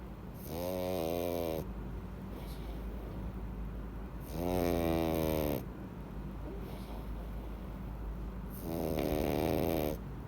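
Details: Pug Louis deep asleep after a meal of treats, producing three loud rattling snores at regular intervals of about four seconds, each a grinding, harmonic inhalation lasting over a second, with quieter wheezy breaths in between.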